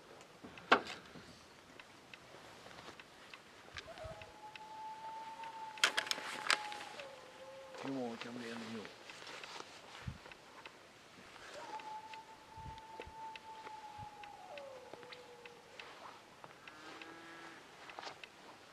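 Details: Wild dog howling from a ridge near camp at 2am on a freezing July night, -3 degrees: long, steady, mid-pitched howls that fall away at their ends, two drawn-out calls with faint rustling and brief clicks around them.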